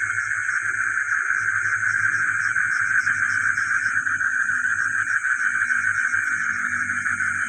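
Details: Village frogs at night, heard alongside geckos: many overlapping pulsed calls form a continuous droning chorus, topped by a constant shrill high whine, with scattered low rumbling underneath.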